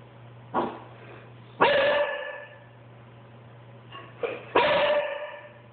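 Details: Boxer dog complaining after cheese was cut from his diet: short yips followed by drawn-out, wavering whining howls, two bouts, over a steady low mains hum.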